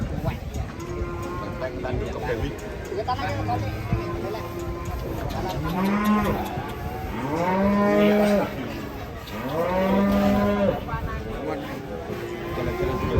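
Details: Cattle said to be angry as it is about to be sold, lowing in loud, drawn-out moos with arched harmonic bands, several calls about two seconds apart in the second half, over a steady background murmur.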